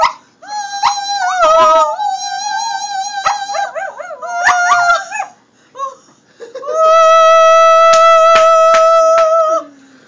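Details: Shetland Sheepdog puppy, a pet, howls along to Amazing Grace as a trick: long, wavering, whining tones that rise and dip, two sustained bursts separated by a brief quiet gap, blended with steady melodic tones of the tune.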